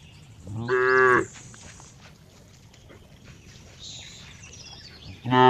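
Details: Cow uttering two loud harmonic moos about four seconds apart, each about half a second long, with faint high bird-like chirps in the quiet gap between them.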